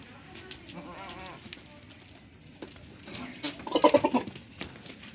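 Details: Good-quality female goats of the Sojat breed. One wavering, harmonic bleat rises and falls early on. Later comes a short burst of pulsed bleating, with voices and outdoor noise in the background.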